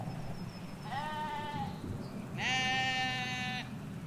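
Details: Sheep, ewes with lambs, in a field in the Hampshire countryside, England: two harmonic bleats, a shorter wavering one then a louder, longer steady one, over low road rumble and faint birdsong.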